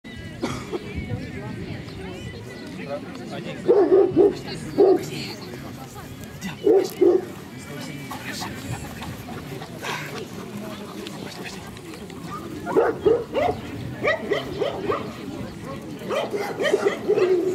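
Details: Caucasian Shepherd at a club breed show in Kiev (Krasilovka), Ukraine, on 28 September 2019; deep barks come in short bursts of two or three, separated by pauses, over steady talking from the people around.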